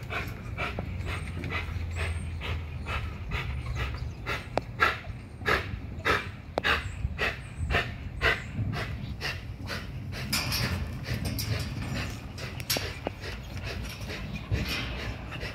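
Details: An XL American Bully on a heavy-duty spring pole at Caona Bullys gives rapid airy panting huffs, irregular and sometimes clustered, set against a persistent low engine-like hum and occasional thumps.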